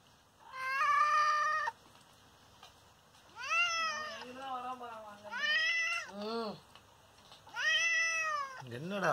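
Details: Injured father cat, hurt after someone hit him, gives a series of long, drawn-out meows, some rising then falling, with short pauses between, while a woman speaks softly to him.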